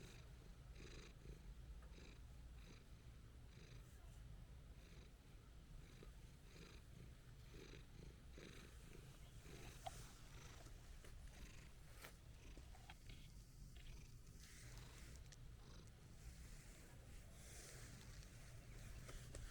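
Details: Calm orange-and-white stray cat purring while being petted: a steady, low rumbling hum throughout, with faint clicks and light background hiss.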